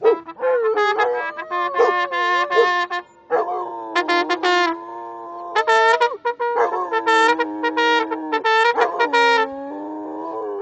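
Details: Rhodesian Ridgeback in Bogota singing along to a trumpet: sustained wavering howls sliding up and down, mixed with bright trumpet phrases that start and stop throughout.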